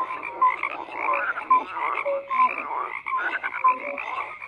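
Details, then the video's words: Croaking frogs in chorus, grouped bursts of raspy calls separated by short dips, with brief bright tonal notes and lower hoots repeating about once a second. "FROGS CROAKING"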